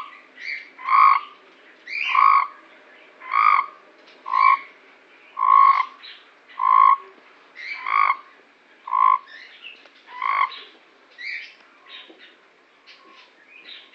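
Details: Frogs in Cape Town give a series of short, raspy croaks, each a brief nasal burst repeated about once a second. Fainter calls from other frogs overlap toward the end.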